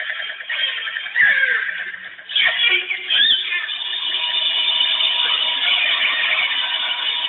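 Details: A pod of northern resident killer whales in British Columbia waters echolocates with clicks and gives squealing, sweeping calls until a large commercial ship passing about 1 km away builds into a broad roar that masks them.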